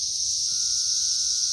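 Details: Massed periodical cicadas on a tree in May 2024, third week of the invasion: an intense, even, high whining drone filling the air, with a faint steady lower tone entering midway.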